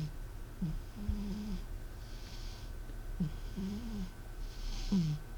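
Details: Sleeping cat named M snoring indoors with a human-like sound: low whistling wheezes on each breath, about every two seconds, with soft airy exhalations between and a steady background hum.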